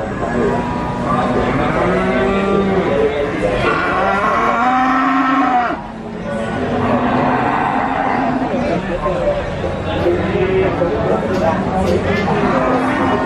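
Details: Cattle calves at Nglangon livestock market in Sragen, Central Java, Indonesia, mooing repeatedly in drawn-out, wavering calls from more than one animal, set against steady market crowd noise and talking.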